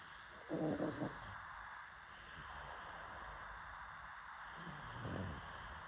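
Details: Sleeping pug dog snoring: two low, rough, snorting breaths about four and a half seconds apart, the first louder and longer, over a steady background hiss.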